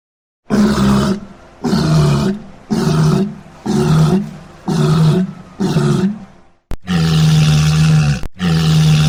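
A walrus gives deep, hoarse bellows, repeated about once a second, then longer drawn-out roars.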